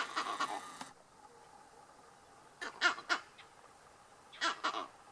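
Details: Monkeys give harsh, barking alarm calls in short bursts after seeing lions about 100 m away.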